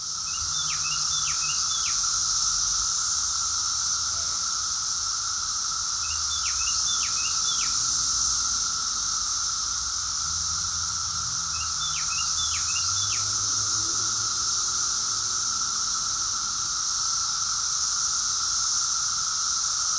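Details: Summer cicada chorus in Rockville, Maryland, USA, June 2021: a constant shrill buzzing drone, interrupted three times by a bird giving quick bursts of three or four sharp, down-slurred chirps.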